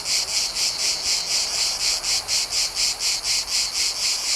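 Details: Cicadas in a Mediterranean summer, recorded in nature, fill the air with a high, shimmering buzz that pulses steadily a few times each second.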